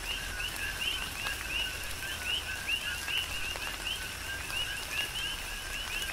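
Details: A rhythmic chorus of coqui frogs on Hawaii's Big Island in tropical rain, dense overlapping bright 'co-kee' chirps sliding upward, about every half second from several callers, over continuous rainfall and sharp raindrop ticks.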